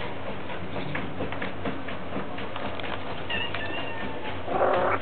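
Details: Mother cat named Siu To with her kittens, kissing her babies; thin, high mews rise late in the clip over a steady broadband hiss with soft ticking.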